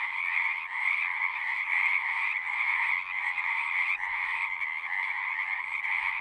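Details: Frogs calling at a pond in a horse pasture, recorded with a Zoom recorder: a dense, unbroken chorus of trilling croaks with bright bands near the middle-high range, many voices overlapping with no pause.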